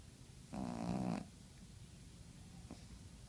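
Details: Sleeping pug named Bartolo giving one loud, rattling snore of under a second indoors, followed by quiet breathing and a faint short snort.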